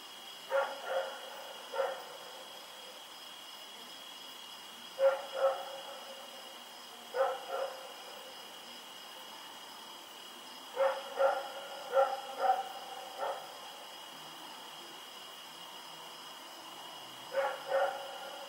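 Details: Rex the dog barking at night while running around, 7 October 2018: repeated bursts of two or three sharp harmonic barks every few seconds, a faster cluster of four near the middle, with a steady high-pitched hum throughout.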